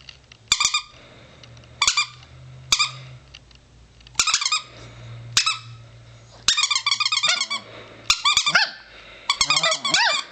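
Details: Four-year-old chihuahua indoors giving short separated squeaky yelps that build into quicker pulsed howling bursts toward the end, over a steady low room hum.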